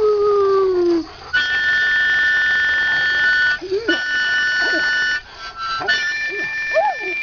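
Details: Half-mastiff, half-rottweiler pet dog singing along to harmonica; sustained harmonica chords dominate, with the dog's wavering, rising-and-falling howls breaking in during the second half.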